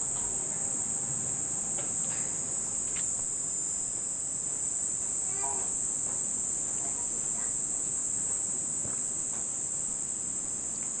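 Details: First cicadas of the summer near the end of the rainy season in Nishinomiya, Japan: one unbroken high-pitched buzzing drone fills the whole stretch, with faint brief voices and a few soft cries in the background.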